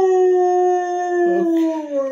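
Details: A dog gives a long, sustained howl, steady and tonal throughout, sliding slightly lower toward the end, with a short rough waver midway.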